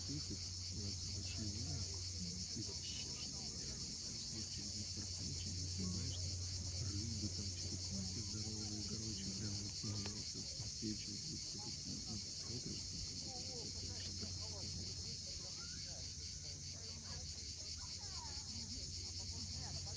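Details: On the steep Crimean shore at Cape Fiolent at sunset, cicadas keep up an unbroken high buzzing hum, with the deep murmur of waves and scattered soft lower sounds beneath.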